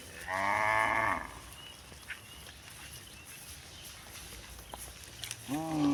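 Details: Cow in a village giving a loud moo of about one second that drops in pitch at the end, followed by quiet, then another moo starting as the clip ends.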